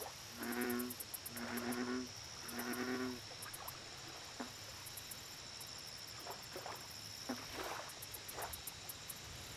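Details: Lakeside American bullfrog giving three rich, resonant croaks in quick succession at the start, then falling silent while scattered soft clicks, insect chirping and a faint high drone fill the rest.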